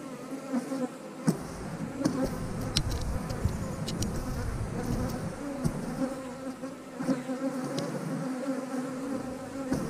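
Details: A busy swarm of honey bees around an eight-frame hive during splitting work: a thick, rumbling hum that rises and falls as bees pass near, with scattered taps and knocks of frames being handled.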